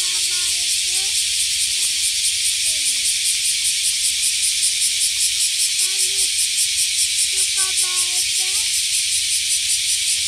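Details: Cicada in full chorus: a loud, continuous high buzz pulsing rapidly and steadily throughout, with a few short lower whistled notes from birds at the start, near three seconds and again around six to eight seconds.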